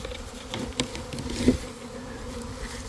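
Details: Honey bees swarming near a hive entrance in a garden around one in the afternoon after a week of cold, damp weather; dense steady low buzzing of many bees with brief louder passes close by.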